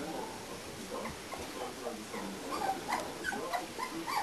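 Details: A litter of four-week-old English Springer Spaniel puppies, with faint, high whimpers and small squeaks scattered over a soft background hiss.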